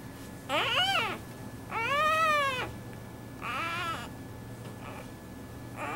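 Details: A newborn clouded leopard cub at Tampa's Lowry Park Zoo gives high, wavering mewing cries, each about a second long.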